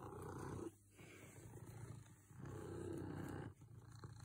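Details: Close, throaty purring from a cat called the happiest ever: two loud rumbling breaths with a softer, lower phase between them.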